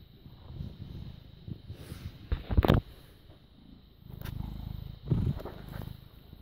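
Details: A British Shorthair cat, born 18 August 2010 and recorded on 6 May 2017 at 21:55, purrs in a low, steady rumble that swells and fades in slow waves.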